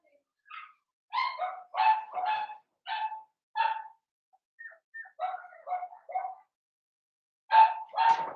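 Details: Seven-week-old blenheim Cavalier King Charles Spaniel puppies, a litter of five born at New Year, indoors in a puppy pen. A quick run of high, repeated yapping barks, a pause with faint whines, then two loud barks.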